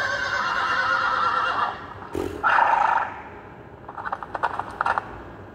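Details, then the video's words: Young mare beckoning a stallion with a long harmonic whinny, then a short intense rising squeal, followed by a rapid run of sharp clicking knocks like hooves. "A young mare beckons to a stallion || Молодая кобыла зазывает жеребца"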